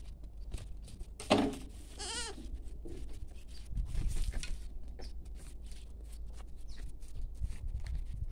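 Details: Goat bleating: two short, wavering, nasal bleats with stacked harmonics in the first few seconds, then a low rustle and background noise for the rest.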